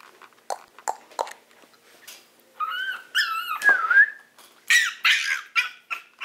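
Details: A Maltese at Herzen rein begs to be let out right away. Soft ticks and scratches come first, then drawn-out whines that bend up and down, ending in short, breathy yelps.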